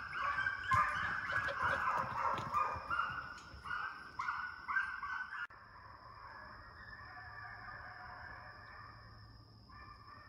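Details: Hound pups, trained on deer, being conditioned in a fox pen: a distant chorus of rapid, overlapping yelping barks and bays. The chorus fades after the midpoint, leaving a steady high tone and faint background noise.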